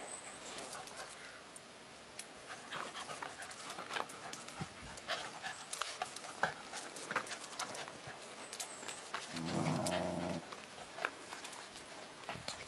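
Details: Several dogs, a dachshund among them, playing at a dog hotel; fast, breathy panting repeated about three times a second with scuffling clicks throughout, and a short low voice-like sound near the end.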